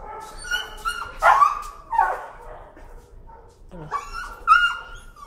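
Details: Timid dog afraid of the leash, screaming in protest at leash pressure during a walk: high, harmonic yelping screams in several bursts, with faint low rumble beneath.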